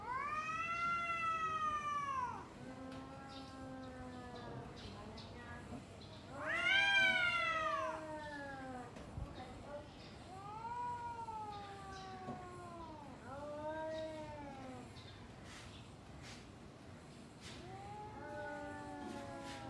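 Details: Two domestic cats yowling back and forth before fighting: a string of arching, rising-then-falling wails, one much louder and higher, separated by short pauses, with faint clicks and rustles behind.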